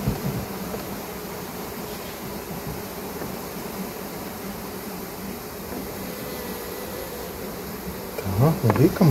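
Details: Honey bees being transferred on their combs from a small hive into a larger new one, still working as they are moved; a steady low droning hum with a faint tonal band, and a brief louder disturbance near the end.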